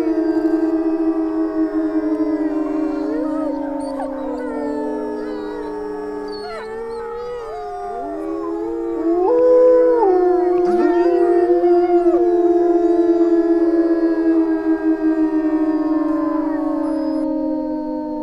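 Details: A pack of wolves howling in jungle: several long, overlapping, steady voices held at different pitches, some bending down and up, with brief yips cutting in. The chorus swells louder midway.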